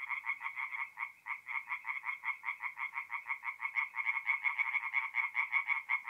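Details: At a forest pond in North-East Italy on an April night, tree frogs sing in clear rhythmic bursts of raspy croaks, roughly two per second, with a few quieter callers behind.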